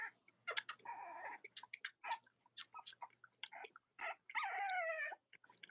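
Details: Litter of Cavalier King Charles Spaniel puppies nursing alongside their mothers on a cold autumn morning: rapid overlapping squeaks, snuffles and sucking noises, ending in a longer falling whine.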